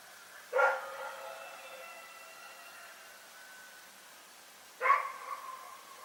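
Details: Rex, a dog at Pyrga, barking in the night: two sharp, ringing barks about four seconds apart, each trailing into a lingering echo over a quiet background.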